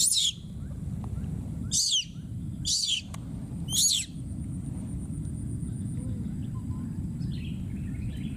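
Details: A young wild monkey, a baby calling for its friend, gives shrill, high-pitched screams, each dropping in pitch, over a steady low rumble.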